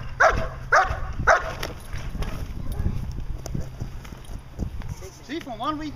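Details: A 14-month-old German Shepherd Dog named Achilles vom Darland Haus doing Schutzhund protection work gives three sharp barks about half a second apart, followed by human talk and a brief rising whine at the end.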